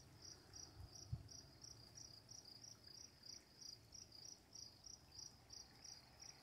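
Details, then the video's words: Crickets at night giving short, high chirps in a steady series, about three per second, over a quiet low rumble with one brief thump near the start. "Crickets, Running Water, Night Sounds"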